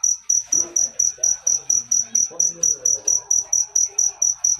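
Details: Close, loud cricket chirping, crisp high-pitched pulses spaced evenly at roughly four per second, with faint low voices and small noises in the background.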